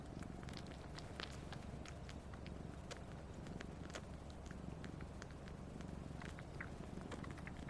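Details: Siamese cat, one and a half years old, abandoned soon after birth, purring while sucking its owner's middle finger, which it does daily: steady low rumbling purr throughout with faint soft clicks and rustles.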